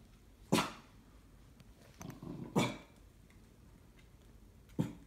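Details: Cocker Spaniel indoors, suspicious of a flat-pack furniture parcel; three quieter separate barks spaced about two seconds apart, with a soft muffled grumble before the second, against a low room hiss.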